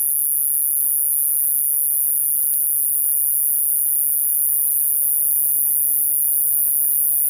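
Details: A Japanese conehead katydid (Euconocephalus thunbergii), common in the lowlands of western Japan, sings a continuous, very high, shrill buzz that never breaks.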